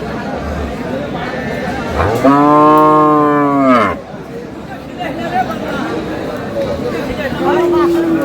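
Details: Improved-breed dairy cattle at Aftabganj haat in Dinajpur, Bangladesh, with a young calf nearby: one loud, sustained, richly harmonic moo lasting nearly two seconds, then a fainter lowing call amid crowd chatter.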